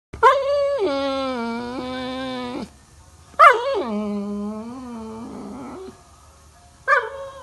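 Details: Labrador Retriever giving a morning alarm call: long, drawn-out whining howls, each held about two seconds with a slowly falling then steady pitch, separated by short pauses, with a brief third cry at the end.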